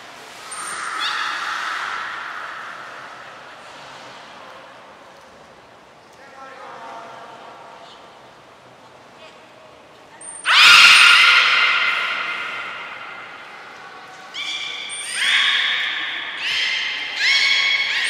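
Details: Captive belugas at Port of Nagoya Public Aquarium, Japan, during a training session with all animals taking part, 2 April 2023: scattered squeaky harmonic calls, a quieter middle stretch, then loud rasping squeals from about ten seconds, with short high whistle notes.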